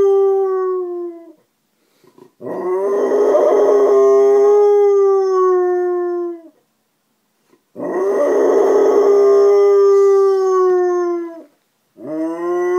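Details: Alaskan Malamute named Frankie answering a neighbour's female dog he has befriended, heard through an open window in the morning: two long, loud howls about five seconds each, gravelly at the start then smoothly sliding down, separated by silence, a third beginning.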